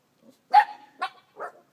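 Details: Abandoned puppies giving three short high yelps, the first with a brief whining tail, each about half a second apart, in quiet surroundings.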